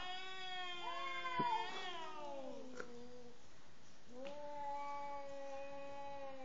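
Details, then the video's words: Cat expressing anger at its partner before mating; a sliding, warbling yowl with a brief break, then a long, flat, steady moaning howl held for over two seconds. "First look of a cat before mating with the other"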